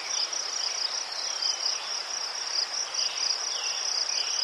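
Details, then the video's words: Ukrainian crickets by chrysanthemums keep up an unbroken high, pulsing trill, fast chirps layered from more than one caller over a soft natural hiss. "Заспокійливий звук цвіркунів//The soothing sound of crickets"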